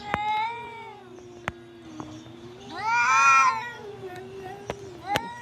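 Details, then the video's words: A cat calling in long, bending, moaning meows, one loud harmonic-rich cry in the middle rising and falling, with low continuous hum and occasional taps or clicks. "Cat miyao"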